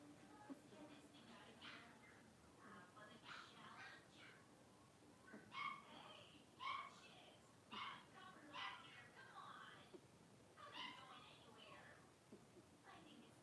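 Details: Blenheim Cavalier King Charles Spaniel puppies, a litter of five born on New Year's, playing in an indoor puppy pen. Short, high, harmonic yips come in loose bursts about once a second, with voices murmuring underneath.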